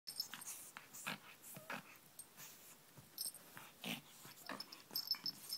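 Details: Pet pug attacking a pink toy rabbit indoors, giving rapid rough snorts and wheezy breaths in irregular bursts, with brief high squeaky tones near the start, at the end and around three seconds in.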